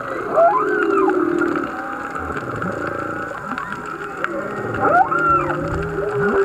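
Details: Humpback whale song recorded underwater while snorkeling off Black Rock, Maui, several wild whales singing miles off; swooping upsweeps and downsweeps, low groans and a held high tone, with steady faint water hiss.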